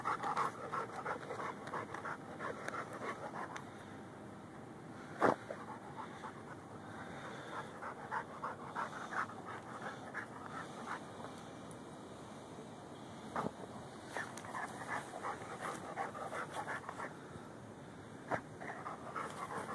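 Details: Lou, a Rhodesian Ridgeback and Bull Mastiff mix, digging for a pocket gopher at its dirt mound: rapid rhythmic panting throughout, with occasional sharp thumps and scraping from digging, recorded on a Samsung Galaxy S3.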